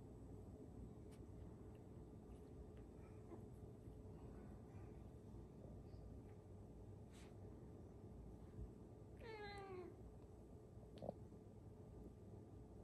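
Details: Cat, a mother with her kittens at play, getting mad and hungry; one short, wavering harmonic meow about two-thirds through, otherwise quiet with steady low room hum and a few faint clicks.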